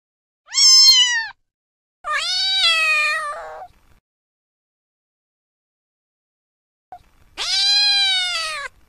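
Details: A cat gives a short high meow, then a longer wavering one, a pause of several seconds, and a final sustained meow; quiet surroundings.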